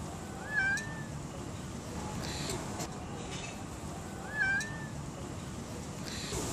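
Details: Domestic cats, a little one and a big one, giving two clear, slightly rising then falling meows about four seconds apart over a constant low background hum.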